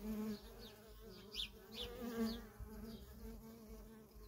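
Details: Worker honey bees in constant traffic at a feral colony: a steady low hum of many wings with swelling and fading passes, plus brief higher whines of individual bees flying close.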